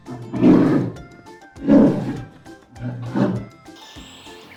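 A polar bear gives three deep, rasping roars about a second and a half apart over music.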